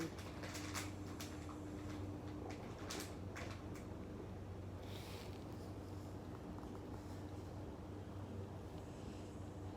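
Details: Indoor room tone with a steady low hum and brief clicks and knocks; no clear animal sound.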